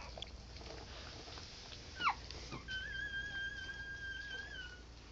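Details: Newborn American Pit Bull Terrier puppies from a litter of six females and five males, ten hours after the last birth: a brief falling squeak, then a long, steady, thin whistled squeal held for about two seconds.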